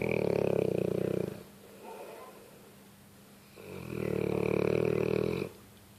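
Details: Sleeping dog giving two deep, rattling snores, each about one and a half seconds long and a few seconds apart, with soft breathing in the quiet gap.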